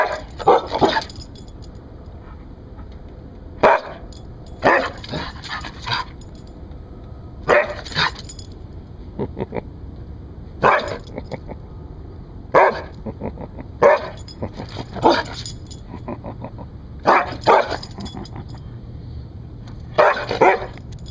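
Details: A rescued Siberian Husky showing off guard-dog barking: loud, sharp barks in short bursts of one to three, repeated roughly every one to three seconds across the recording, with quiet room background between them.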